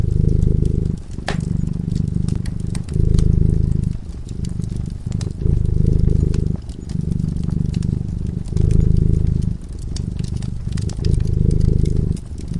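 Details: A cat sleeping in front of a crackling fireplace purrs steadily: a low, rumbling drone that swells and eases in phases of about one to two seconds, with sharp crackles and pops from the fire throughout.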